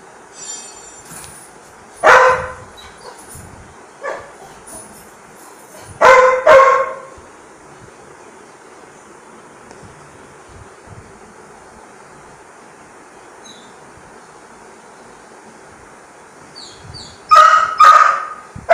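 A Labrador Retriever gives loud, deep barks in short bursts, separated by quiet pauses, asking for food.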